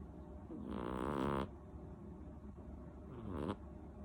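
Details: Seven-month-old female cat named Rincharo snoring loudly in her sleep: two long rasping snores, the first about 0.8 seconds and the second shorter and softer, separated by a quiet pause, indoors.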